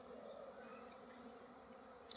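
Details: Many honey bees at hives beside mustard fields, where honey is being collected: a steady, low, even hum holding throughout, ending with a brief sharp click.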